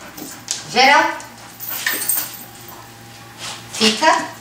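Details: Female Labrador Retriever puppy, five and a half months old, in training as a service dog during an indoor lesson, gives a rising, harmonic whining cry, then a second shorter one near the end, with soft background noise.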